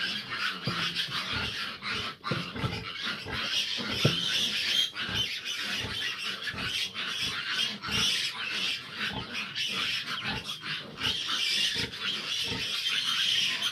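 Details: Litter of fifteen grown piglets with their sow, which struggles to nurse them: dense, continuous high-pitched squealing from many piglets over low grunting pulses, steady throughout.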